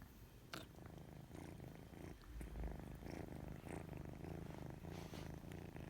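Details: White odd-eyed kitten indoors, purring steadily: a low, rumbling pulse that runs through the whole stretch, with a few faint rustles and soft clicks on top.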